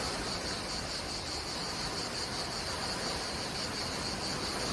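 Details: Cicadas out in full force at Menton on the French Riviera, France: a steady high-pitched buzzing band with faint pulsing, held throughout over the broad, continuous roar of crashing waves.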